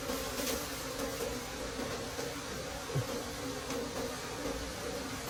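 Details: Forest wild bees around a late-season honey harvest, a level, continuous drone with a faint wavering hum over background hiss and a single soft knock midway.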